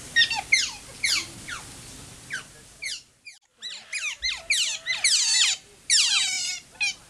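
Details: Asian small-clawed otters at Wuppertal Zoo, described as very vocal: rapid bursts of high, sharply falling squeaky chirps, several overlapping, a brief near-silent gap around three seconds, then denser chirping that resumes.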